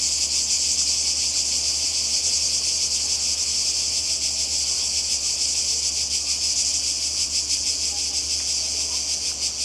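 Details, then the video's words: Croatian coast in summer 2020, where cicadas keep up a loud, high, sizzling drone with quick rhythmic pulsing, dipping slightly in volume toward the end. "Kroatien Zikaden und Meer"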